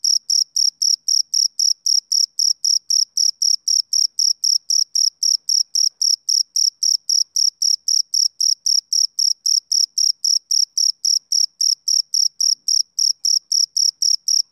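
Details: A long run of male cricket chirps: bright, high, buzzy pulses at roughly four per second, very regular and uninterrupted, against total quiet.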